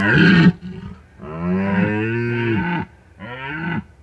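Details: A red deer stag in the Bucovina mountains, recorded at night by a drop rig at the peak of the rut, gives deep, groaning rutting roars: a long bellow followed by a shorter one.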